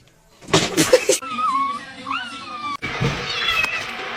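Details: Domestic cat giving a drawn-out, wavering meow that bends up and down in pitch for over a second, after a short burst of noise, with people talking and background music.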